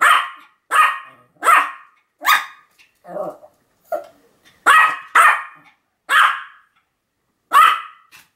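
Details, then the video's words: Sam the Pomeranian, filmed on 7 October 2015, barking without pause. High, clipped barks repeat roughly every half second to a second, broken by a couple of lower, throaty growl-like barks midway. "犬の鳴き声 ポメラニアン サムの連続吠え"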